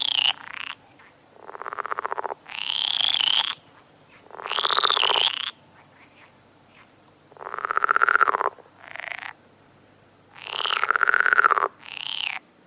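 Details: At night in a marang tree, a frog gives long, drawn-out rasping croaks, some overlapping, in bursts of one to two seconds separated by short quiet gaps.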